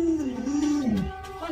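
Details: Pet Alaskan Malamute named Lolo reacting indoors as its owner pretends to stew a puppy: one drawn-out, tonal woo sliding gently downward over about a second and a half, with faint background sound.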